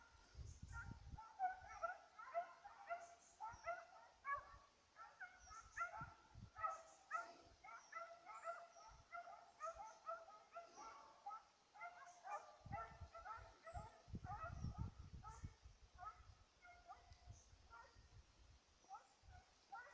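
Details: Petit Basset Griffon Vendéen on the trail of a rabbit, 5 October 2014; a steady, dense run of short ringing bays throughout, several a second at times, fairly distant, with low rumbling thuds and rustle underneath.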